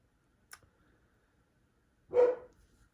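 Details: Household dog barking again mid-recording: one abrupt, loud bark near the end, preceded by a sharp click and quiet room tone.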